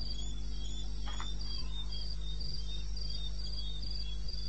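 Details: Cricket from the eastern Botswana wilderness, 21 May 2016 at 02:30 AM, giving brief evenly spaced high chirps about four a second, with a short faint rustle near the start and a low continuous hum.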